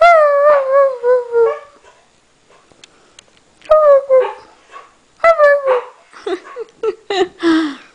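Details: Norwegian Elkhound Maddie and a Husky singing together: a wavering falling howl, a quiet gap, then short downward howls and choppy yelping notes toward the end.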